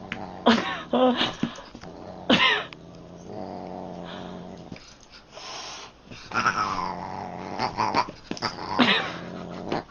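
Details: Domestic cat from a funny cat compilation, making low, sustained growling with sharp, louder yowling bursts breaking in at intervals, while faint background noise continues throughout.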